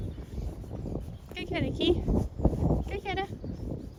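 A husky gives short, rising, talky yowls in two bursts over a low rumbling background.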